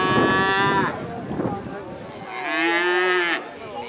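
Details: Dairy cattle let out on pasture for the first time in spring, mooing: two loud drawn-out moos, the first about a second long, a second after a pause, with overlapping lower lowing between.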